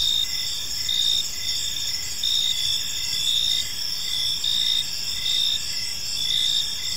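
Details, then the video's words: Crickets chirping in a park on an evening: steady high-pitched trilling chirps overlapping in a continuous chorus, with short pulses repeating roughly every second and a quiet background hum. "Cricket Sounds in a Peaceful Park"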